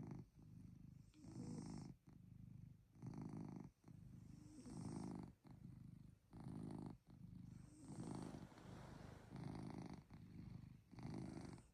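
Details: Cozy night in with Chloe the cat snoring, an even, rhythmic motor-like rumble, around nine regular breath bursts at a steady pace with short silent gaps, no other sounds.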